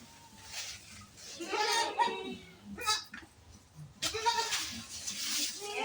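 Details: Goats of an improved breed on a farm in a friend's home compound, a kid with its mother nearby; wavering, harmonic bleats rise around the middle and again near the end, with people talking close by and scattered clatter.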